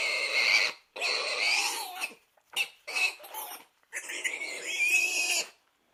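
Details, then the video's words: Harsh, drawn-out squealing from a pig: two long screeching bursts, a cluster of short choppy squeals in the middle, then another sustained shrill run, almost continuous over six seconds. "SOM DE PORCO"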